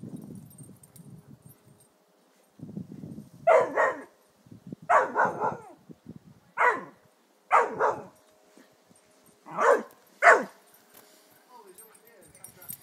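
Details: Irish Terrier named Harry going after a fallen birdfeeder on the lawn; low snuffling and rumbling lead into about ten loud, harsh barks, mostly in quick pairs and triples with short gaps between.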